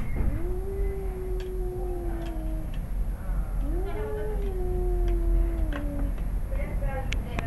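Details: A father cat and his son, squaring up to fight in a yard in Arequipa, Peru, trade menacing growls. Two long, low yowls, each rising quickly and then sliding slowly downward over several seconds, over a steady low rumble and faint clicks.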